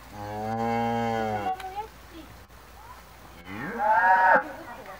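A cow gives two long, deep, resonant moos, the second rising then falling.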